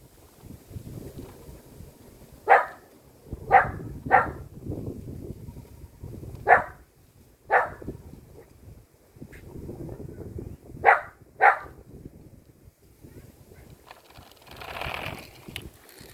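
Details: Six-year-old female silver Poodle in Namyangju, South Korea, scared of pillars, barks repeatedly: seven sharp, clipped barks, mostly in pairs, spread over about nine seconds, with rustling and low household noise between them.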